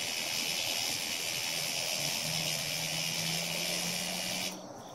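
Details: Cicada handled by a Siberian Husky that found it and is playing with it: a loud, steady, hissing buzz, broad and high-pitched, sustained for over four seconds and then cutting off abruptly, with a faint low hum beneath.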